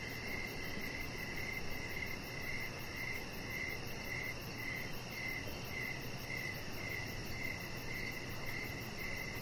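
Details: Crickets sing in the evening beside a deck with a pet chihuahua puppy lying under decoration lights; high pulsed chirps repeat about every half second against steady background noise.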